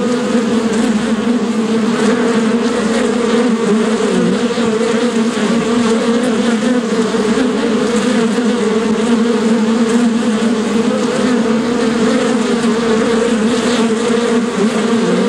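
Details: Bee buzzing steadily and continuously, a dense droning hum with a strong low tone and its overtones, unbroken throughout with no pauses and no other clear sounds.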